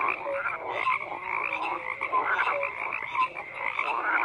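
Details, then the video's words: Frogs croak in a steady, crowded chorus, with raspy calls blending together and short whistle-like notes poking through now and then. "FROGS CROAKING"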